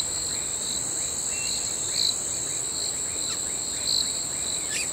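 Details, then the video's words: Crickets calling at night: a steady high ringing band with a second pulsing band below it, swelling about every two seconds, and faint short chirps scattered underneath. "Relaxing Crickets Sound"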